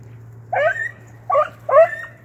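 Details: Blackcreek-bred beagles, an 8-month-old pup with a trained male named Timber, tracking rabbits; three separate bawling barks with rising and falling tones, spaced about half a second to a second apart.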